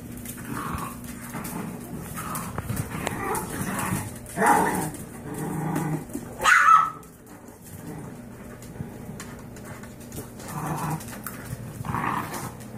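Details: Five-year-old Yorkshire Terrier mother, rescued from a backyard breeder, grumbling at her five-week-old puppies; irregular short barks and growly snaps, with a louder yelping burst midway, against a low steady hum.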